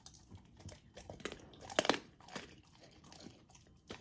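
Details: Golden Retriever puppy, a female still learning to eat slowly, crunching frozen raw food at dinner; sharp irregular bites and crunches, a loud crack near the middle, softer chewing and licking between.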